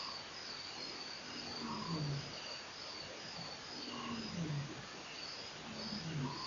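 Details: At Nkorho at 4:03 am on 04/10/08, after strange sounds, a lion gives low, moaning grunts that drop in pitch and repeat roughly every two seconds, like the tail of a roaring bout, over a constant high night cricket chorus.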